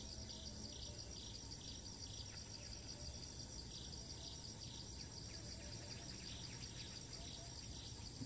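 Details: A Thai cicada that will not stop calling even while fleeing gives a sustained shrill buzz, while rapid chirping pulses from another insect or bird repeat at about three per second early on.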